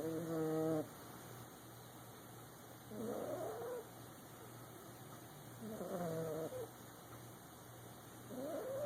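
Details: Boxer puppy asleep in a lap, snoring in squeaky whistled breaths that rise and fall, about four in nine seconds, roughly one every three seconds, over a steady low hum.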